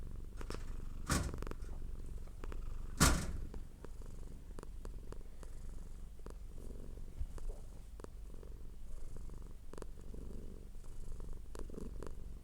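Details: Purring domestic cat, a soft low continuous rumble under two loud knocking thumps near the start and scattered faint clicks.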